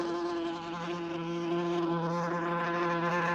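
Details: Flying wasp giving a continuous, even, low droning buzz rich in overtones, unbroken from start to finish with a barely wavering pitch.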